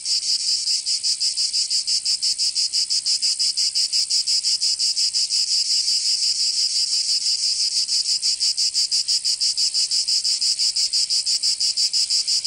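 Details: Cicadas in Provence, southern France, during summer: an unbroken, piercing metallic buzz throbbing in quick regular pulses, about three per second, sustained for the whole stretch.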